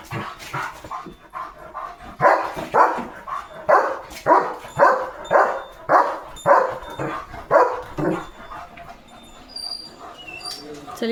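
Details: Leo, a German Shepherd guarding a village farm in the morning, barking at cattle, vehicles and dogs: a run of loud, even barks about two per second for six seconds, softer barks before and after, quiet rural background.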